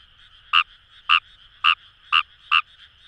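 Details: Five clear, brief croaks from Fejervarya kawamurai in the Kamo River paddies of Itoshima, Fukuoka, spaced about half a second apart, each a sharp, slightly buzzy note above a faint murmur of distant frogs.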